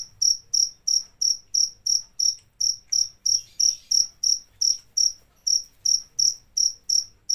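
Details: Rapid, evenly repeated cricket chirps, each a brief high buzzy trill, continuing at close to three per second throughout with a slight unevenness in spacing and no other sounds.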